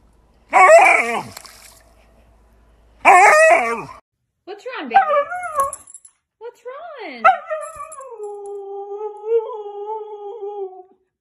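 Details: Siberian Husky dog vocalizing in a funny pet compilation: two sharp harmonic yelps early on, then a run of wavering, rising-and-falling howling and talking sounds ending in a long drawn-out steady howl, with speech-like tones mixed in.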